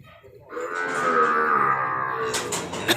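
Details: Crossbred calves delivered in Nong Bua Lamphu province, Thailand: one long, steady, fairly high moo lasting about two seconds, followed by clattering knocks.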